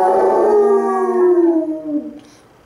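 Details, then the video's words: A pet Basset Hound howling at its companion hound: one long, rich, harmonic howl lasting about two seconds, gliding slowly downward and fading out. "Basset Hounds Howling... Lazy Style!"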